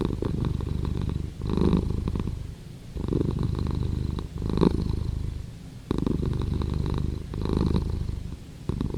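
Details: Close-up cat purring with a deep, vibrating rumble. Each breath brings a louder pulse, about every three seconds, with softer troughs between the pulses.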